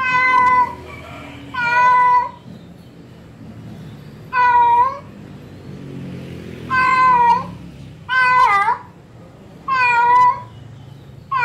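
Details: Calling female cat in heat, seeking a male: steady, strongly harmonic meows lasting about half a second to a second, some ending in a downward slide, given at irregular intervals of one to two seconds in a quiet room.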